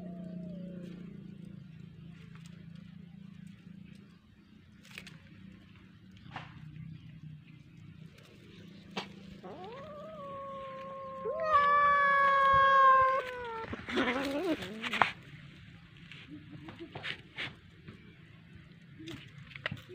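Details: Domestic cat playing with a fish toy, uttering one long, level meow that swells louder near its end, followed by a rustling burst, with a low background hum throughout.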